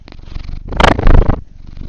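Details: Old domestic cat purring while being scratched indoors; the owner says the vibrations are strong. A low, steady rumbling purr runs through the whole stretch, with a brief burst of the owner's voice over the middle.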